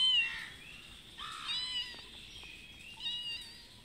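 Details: Mother cat asking for food: a few soft, short meows over a background hiss, the first falling and the later ones brief and quieter.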